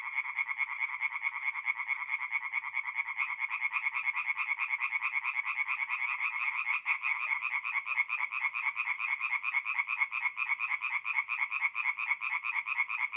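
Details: Many tree frogs calling together after dark at a forest pond in north-east Italy in the middle of April; quick, harsh, repeated croaks merge into an unbroken rhythmic rattle lasting throughout, otherwise quiet.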